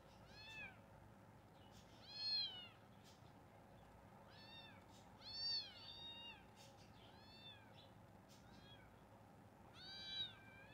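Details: Kitten meows repeatedly indoors, high curved mews of varying strength scattered across the stretch, several loud ones separated by softer calls and small clicks, steady faint hum behind.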